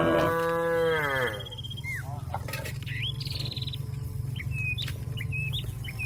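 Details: A cow calls out to a companion grazing in the field with one strong, falling moo at the start, followed by scattered bird chirps over a low rumbling background.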